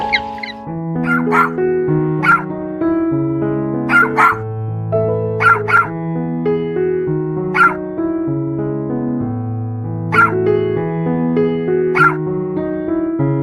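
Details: Dog barking, about eight short sharp barks spaced irregularly every one to two seconds, set against continuous electric piano music that carries throughout.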